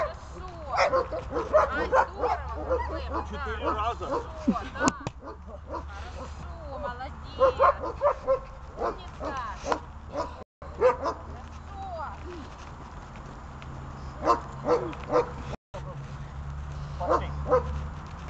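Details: Dog at the start of decoy-holding training; barking in quick bursts mixed with whining, yelping notes, and a person's voice heard at intervals.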